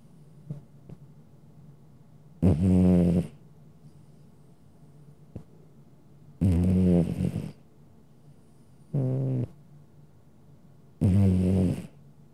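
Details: A domestic cat sound asleep, snoring: four loud, low, rasping breaths at irregular intervals of about three to four seconds, separated by quiet pauses, with faint soft clicks in the background.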